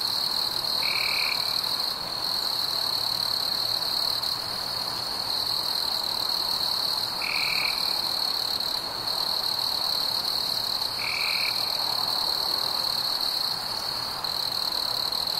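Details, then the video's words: Crickets on a warm summer night: a steady, unbroken high-pitched trill with faint overtones, and three short, lower buzzy notes from another caller spaced several seconds apart. "Fireflies and Crickets - Calming sounds of the night"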